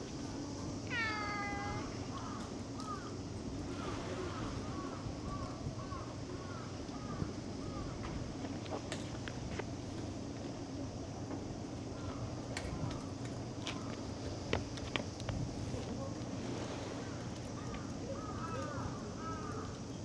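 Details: Cat voice: one long, strong meow early on, followed by a run of short, soft chirping mews, and more quick little mews near the end, all over a low steady hum.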